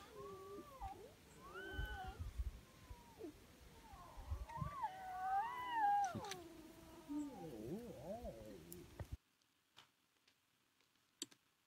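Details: On the Serengeti plains of northern Tanzania during the rains, lion cubs travelling with two mothers whine together in high, wavering, cat-like mews that rise and fall in overlapping bursts.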